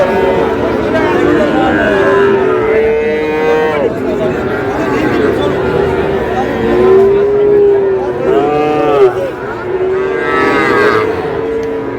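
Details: Sahiwal bull calves at a Bangladeshi market in Pabna: two clear, drawn-out moos that rise then fall, with fainter lowing from other cattle behind steady market chatter.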